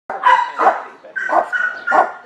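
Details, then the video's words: Meeko, a young neutered male tan-and-white Chihuahua mix of 8.5 lbs at the San Gabriel Valley Humane Society shelter in California, gives four short, tonal yelping barks about half a second apart, with drawn-out whiny tones between them. "Meeko - Chihuahua"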